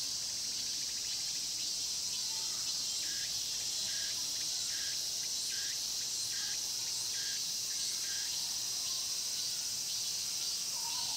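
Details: Cicadas in a Korean pine grove at Mokgye, Cheongsong: a continuous high buzzing wall of sound with a run of evenly spaced pulsed phrases repeated about every half second through the middle.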